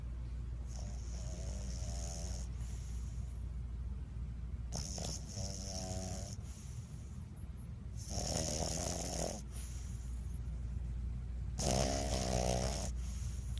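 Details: A sleeping bulldog snores like a human: four long, rasping, buzzy snores spaced about every three to four seconds, each a drawn-out breath with a coarse rattling tone, with quiet pauses between.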